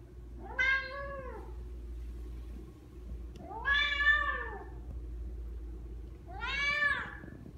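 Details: Female Bengal cat, brown marble tabby, born December 2016, indoors: three clear arching meows about three seconds apart, each rising then falling, over a low steady hum.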